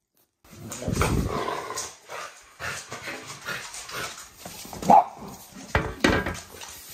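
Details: French Bulldog Oleg growling and grumbling indoors in short rough bursts, with a sharp louder yelp near the middle and scattered noise from handling.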